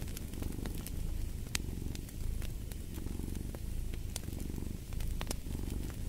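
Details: Cat purring beside a crackling fire: a deep, continuous rumble that swells and eases with each breath, roughly once a second, while bright crackles and pops from the fireplace scatter across it.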